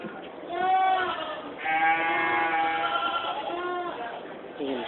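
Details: Goats in the stables at the 2015 Georgetown, Illinois fair, giving long wavering bleats, one short and one drawn out, while people talk nearby.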